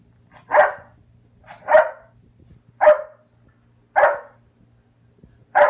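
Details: Ana, a foster puppy playing with the cat, barks sharply and clearly, five single yaps spaced about one second apart, with faint background hum between barks.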